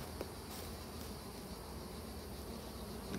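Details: Honey bees at a hive that a beekeeper needs to recover, giving a steady, dense, low hum that runs unbroken throughout with no pauses.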